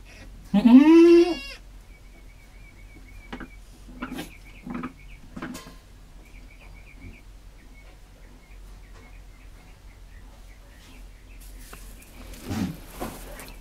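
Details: A mother goat that has just given birth gives one loud, rising bleat, then softer low murmurs follow, with her newborn kid.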